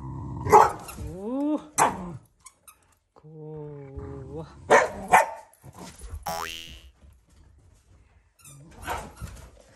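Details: Family Shiba Inu giving an affectionate, not angry growl while vying with a Labrador for attention; whiny rising and falling vocal moans and short yips alternate with human speech in a small room.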